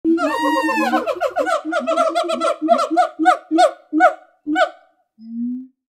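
A gibbon gives a loud, rich series of hooting whoops that speed up, then spread apart.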